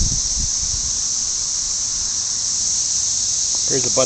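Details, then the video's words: Millions of red-eyed cicadas calling to attract mates outdoors: a steady, high-pitched shimmering drone that never breaks, with a man's voice briefly at the start and the end. "Cicadas singing?"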